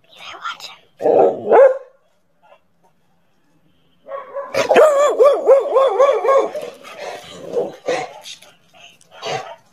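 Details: Angry dog barking: two short rough barks, a pause, then a long wavering run of quick yodelling barks and howls, with people talking over them.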